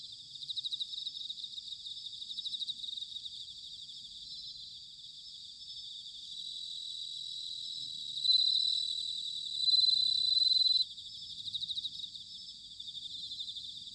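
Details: Bell crickets singing in autumn, recorded in Sanuki, Chiba, Japan: a steady high ringing chorus of trilled notes, with a louder, clear ringing phrase standing out from about eight to eleven seconds, then the softer chorus resumes.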